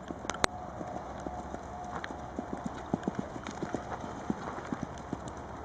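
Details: Charlie, a registered 11-year-old Tennessee Walking Horse standing 15.1 hands, carries a rider: crisp hoof strikes tap out a steady, even rhythm of roughly three to four beats per second against a constant low hum.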